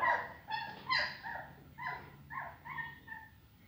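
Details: Whiny, tonal yips from aggressive Rhodesian Ridgeback puppies, about six short bright cries falling into a loose rhythm roughly twice a second, with a low background hum underneath.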